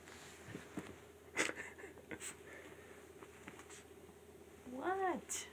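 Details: Chihuahua dogs, a couple of them, rolling and playing around in a bed on a Sunday morning; scattered soft rustles and thumps, then a short rising-falling whining yelp near the end.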